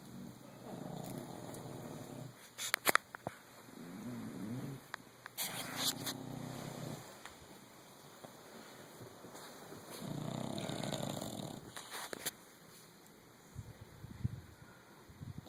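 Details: Tinkerbell, or Tink, a nine-year-old female English Bulldog, asleep and snoring up a storm: rough, rasping, low breaths swelling in long bursts roughly every five to six seconds, with a few sharp clicks and snorts between them.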